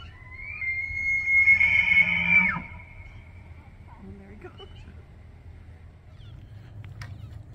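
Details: Bull elk bugling during the autumn rut in September in Banff, Alberta, Canada, calling to attract females, control the herd and warn rival bulls: one long, high, whistled note held about two seconds, then fading, followed by faint low grunts and clicks.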